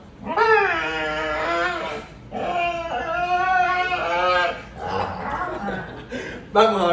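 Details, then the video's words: A vocal dog in Venezuela refusing to go to bed, letting out long wavering howl-like moans with rich harmonics, each lasting one to two seconds, separated by short pauses, indoors in a small room. "Vocal Dog Refuses to Go to Bed"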